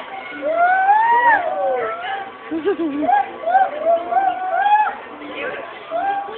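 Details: Monkeys at a zoo give loud sliding whoops, long rising and falling notes that rise and fade in uneven bursts, mixed with chattering from the crowd nearby.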